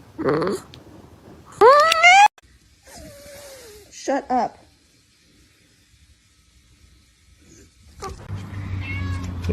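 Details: A pet cat gives one strong rising-falling meow, then a softer descending wail and two short clipped mews, followed by quiet and a low murmur of background noise at the end.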